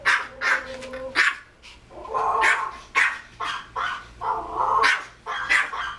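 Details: Pomeranian Kozmo, a household pet, barking toward a screen showing another Pomeranian barking at a dog on TV. Drawn-out, whining yelps mix with short high barks, with a thin tonal whine at the start.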